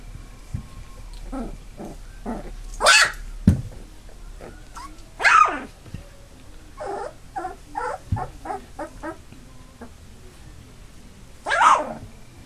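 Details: Eight Labrador Retriever puppies, nearly three weeks old, eyes newly open and starting to walk; drawn-out squealing whines rising and falling at about three, five and eleven and a half seconds, between clusters of short soft squeaks.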